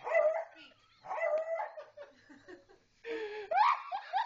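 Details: Beagle repeatedly barking while a woman urges a pug to speak; four or five loud, ringing barks come in bursts with short gaps, mixed with coaxing speech.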